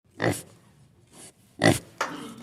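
A pig gives short, harsh, noisy grunts and squeals in quick bursts.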